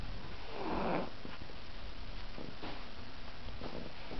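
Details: Ahji, a fat pet Chihuahua falling asleep indoors, gives a soft snorting snore with a brief louder breathy burst near the start, followed by quieter rough breaths in a small room.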